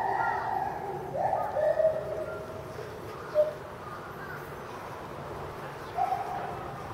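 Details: A captive Bornean white-bearded gibbon at Higashiyama Zoo, January 2011, calling intensely while leaping about, gives clear, hooting tonal notes, some held and some short.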